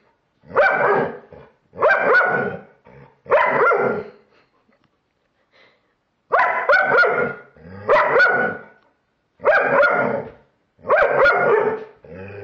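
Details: German Shepherd barking at a Halloween pumpkin, which it clearly dislikes: loud, harsh barks in paired bursts, about two every two seconds, with a short pause near the middle.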